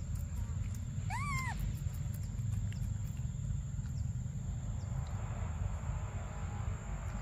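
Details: Baby monkey named Briar crying for milk: one loud, arched, wavering wail that rises then falls, lasting under half a second, followed by steady low rumbling background noise with faint clicks.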